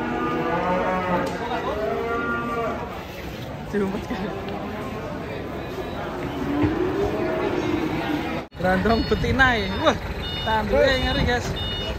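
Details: Cattle in a collection of unusual cows, one said to be one-eyed, with drawn-out lowing moos and a rising-falling harmonic call near the end; music plays throughout and people speak briefly.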